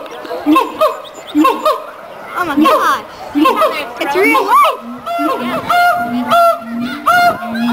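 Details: Mated pair of siamangs at the Columbus Zoo singing a territorial, pair-bonding duet: loud rising and falling whoops, barks and rapid accelerating hoots overlapping, with low steady booming notes.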